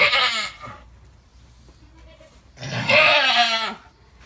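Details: During labour with triplets, an Alpine goat lets out two loud, quavering bleats, one at the start and another after a two-second pause, each rough and tremulous.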